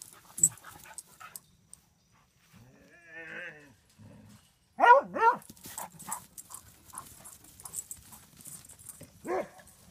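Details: Beagle and a second pet dog romping in play: a low wobbling growl-moan, then loud sharp yips and huffs, with thumps, scrabbling claws and bursts of noise from rough play.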